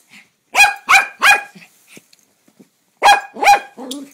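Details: A dog named Toi barking at the mail man: two sharp bursts of three loud barks each about a third of a second apart, separated by a quiet gap, ending in a lower growling whine.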